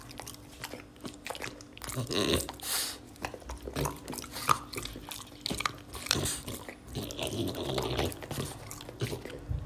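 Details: Oleg, a French Bulldog, munching string beans in a small room, loud crunchy bites and smacking chews repeating continuously.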